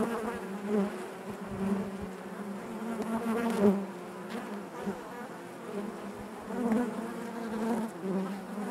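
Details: Steady murmur of a honey bee colony within the hive, a thick low buzzing carpet with layered overtones, rising and falling gently with occasional louder passes by individual bees.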